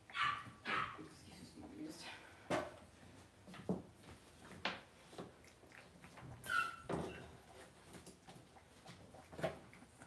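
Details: Cavalier King Charles Spaniel puppies raised indoors in a home puppy pen give short, high, clipped yips and whimpers. They come in scattered bursts over ten seconds, with soft thumps and rustling between them.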